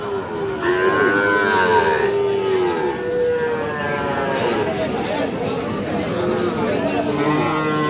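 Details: Sahiwal bull calves at the Aftabganj cattle market, 6 August 2025, being bought for a farmer from Jashore: drawn-out, low moos that slide slightly in pitch, overlapped by steady bargaining voices and crowd murmur.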